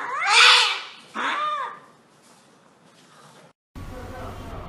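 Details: Cat getting an injection gives two loud, harsh yowls in the first two seconds, the second shorter and falling, followed by quiet room noise and a burst of background sound.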